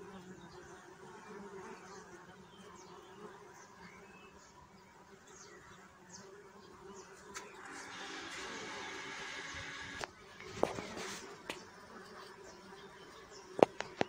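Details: Low bee hum drones steadily at first, then a burst of broad rustling noise covers it midway, followed by scattered sharp clicks and knocks over the fading buzz.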